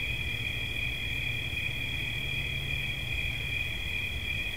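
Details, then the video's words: Short stretch of a cricket's continuous shrill trill, played as a relaxing sound, level and unbroken at a high pitch above a low droning background. "Świerszcz. Dźwięki relaksacyjne"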